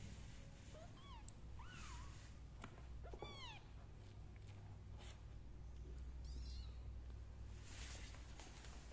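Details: Kittens climbing down out of pots with their mother nearby; several thin, rising-then-falling mews in quick succession in the first few seconds, one faint call later, steady low rumble behind.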